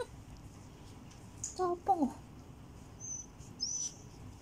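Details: Fourteen-day-old Border Collie mix puppies (Turjak) give a pair of short, wavering whines that slide downward, followed by thin high squeaks, over a quiet indoor hum.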